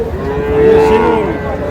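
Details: Sahiwal bull calf at Raniganj cattle market in Moulvibazar, Bangladesh, on 15 June. A steady, drawn-out moo of about a second rises above the constant murmur of the market crowd.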